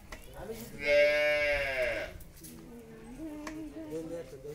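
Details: Friesian dairy cow in Bhangura, Pabna, Bangladesh, nine months pregnant before her second calving, gives a single strong, slightly rising then falling moo of about a second, followed by people speaking nearby.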